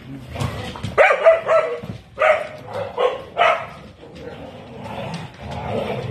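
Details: Pet dog Nesma at play with another dog gives a run of short, uneven barks and yips, mixed with a woman talking to the dogs indoors.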